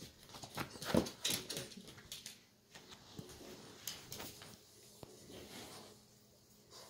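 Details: French bulldog indoors in a small room, wanting to get onto the couch: soft, short whimpering and snuffling sounds in scattered bursts, with one louder yelp-like burst early on, then quieter shuffling.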